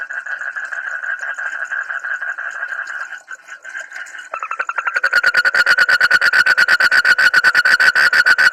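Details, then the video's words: Frog calling with an odd but cute voice: first a steady rasping tone, then after a brief break a fast train of sharp clicking pulses, about three per second, growing louder toward the end. "suara kodok aneh tapi lucu"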